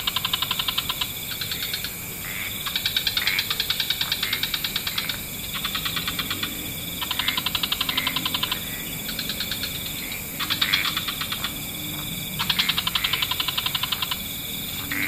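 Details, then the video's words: Wetland frog chorus at dusk, with several frog species calling together: fast pulsed trills in overlapping bouts lasting one to two seconds, starting and stopping irregularly over a steady high hiss. "Frog Orchestra"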